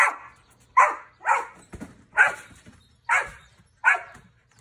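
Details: Six sharp, raspy barks come from a dog having fun on a trampoline in the United States, fired roughly every second at steady loudness, with faint springy patter between them.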